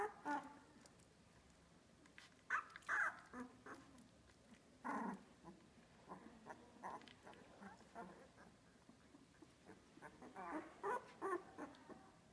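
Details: Two-week-old Australian Labradoodle puppies from Olive's litter at Pine State Australian Labradoodles, giving scattered short squeaks and whimpers, a few louder bursts near the middle and end, over a quiet background.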